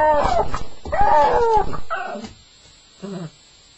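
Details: First night for a Staffordshire Bull Terrier: two wavering whimpers at the start, then the crying fades into short, quiet, lower whines with near silence between them.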